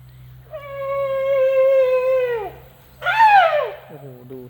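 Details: A tuskless male Asian elephant begs for food with loud, ringing calls. A long, level, trumpet-like squeak holds for about two seconds before dipping, then a shorter arched squeak, then a brief low tonal sound over steady background hum.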